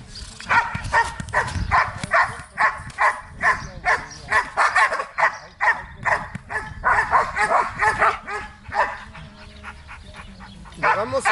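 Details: Belgian Malinois during protection training in Zumpango, State of Mexico, barking in a fast, steady series of sharp barks roughly twice a second, with brief pauses and a trainer's voice near the end.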